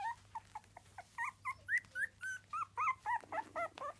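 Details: Miniature Dachshund puppies at three weeks old squealing in quick succession, short arched whines that grow louder and closer together, roughly four per second, a low hum in the room behind.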